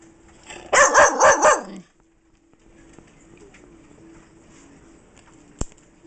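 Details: Almost five-month-old female Bull Terrier barking indoors, excited because its owner holds food, other dogs nearby. Four quick, rhythmic, yowling barks packed into about one second, followed by near-quiet room noise and a single sharp click.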